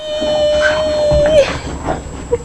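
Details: Scarlett the bulldog, a female, howling during a burst of wild excitement indoors: one long, steady, mid-pitched note held for over a second and then bending at the end, followed by a person's voice teasing her.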